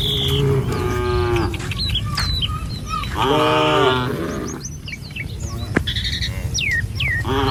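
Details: Tame cattle herd strolling along a village road in the morning, heading to a field to feed; drawn-out harmonic moos at the start, a longer one mid-way and another at the end, with bird chirps and a low rumbling background.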